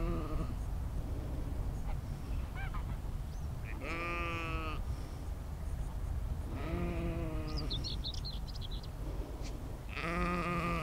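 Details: Spatial-audio field recording of sheep in nature, made with an Insta360 X3 and Zoom H2n: three drawn-out, quavering bleats spaced a few seconds apart, with faint high chirps between them and constant low background rumble.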